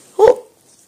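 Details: A 14-month-old Staffordshire Bull Terrier refusing to go to bed indoors lets out a single short, sharp bark in a small room, followed by silence.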